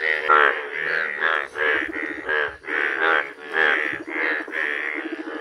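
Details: Bright yellow Indian bullfrogs in a village, giving loud, nasal, pulsed croaks in steady bursts about every half second to second, each croak a rough, reedy bleat, with no pause across the recording.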